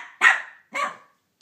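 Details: A Cavalier King Charles Spaniel named Banjo gives two sharp, loud barks at Minnie Mouse, who took his bone, the second slightly shorter and softer.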